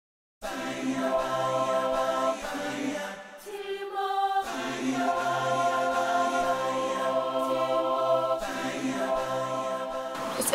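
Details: Choral chanting with sustained voices over a low drone, briefly dropping to a quieter passage, and no lion or other animal sounds.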